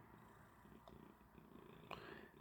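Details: Domestic cat purring indoors after waking its owner early to play, a steady low pulsing rumble throughout with a faint soft click near the middle.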